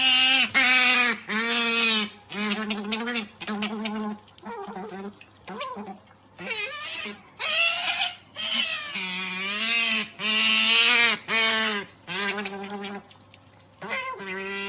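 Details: Otter begging for snacks with an odd-sounding call: a steady stream of loud, harmonic, wavering squeals and whines, rising and falling in pitch, in bursts of one to two seconds with short pauses.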